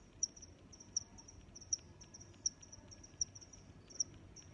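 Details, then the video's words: High, clipped cricket chirps recurring steadily about every 0.75 seconds, accompanied by a soft wash of more distant cricket trills and low ambient noise. "Sounds of Crickets"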